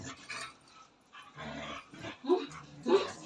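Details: Jealous pet dog in Nepal, angry and complaining after its owner petted street dogs, giving a run of short grumbling moans and whines with two sharper yelps near the end, a human voice mixed in.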